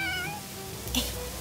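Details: A pet cat in a home in Jeju, South Korea, gives a short meow that falls in pitch, with room sound and a woman's voice nearby.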